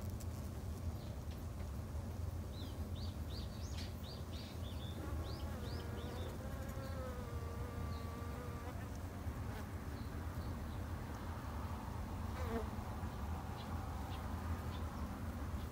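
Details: Japanese honey bees raised in a backyard apiary humming steadily and low, while a wavering tonal call and several short high chirps rise above the drone partway through.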